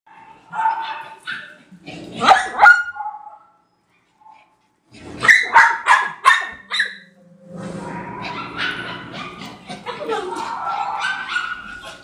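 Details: Three poodles barking in short bursts of sharp yaps with pauses between, mixed with human speech and household sounds.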